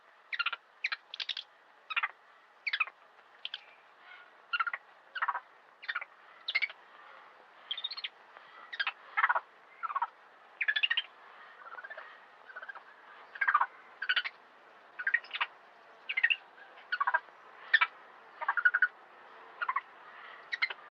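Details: Macaques playing in a zoo give a steady run of short, sharp, squealing calls, about two to three each second.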